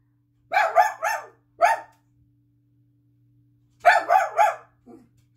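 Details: House dog Daisy barks insistently inside a bedroom, wanting out to greet someone coming home from work. A quick triple bark, one single bark, a pause, then another triple bark and a faint final yip.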